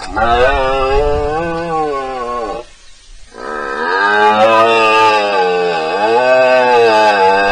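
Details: Red deer stag roaring in front of a camera during the rut at a pool in Spain, 19 September 2024: two long, loud, strongly harmonic bellows that rise and fall, separated by a brief pause.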